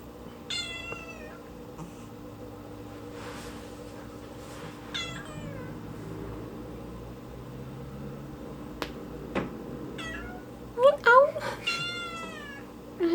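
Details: Kitten meowing indoors because it wants to climb onto the fridge: scattered drawn-out meows, then a quick burst of several rising-falling meows near the end, over a low steady hum and light household noise.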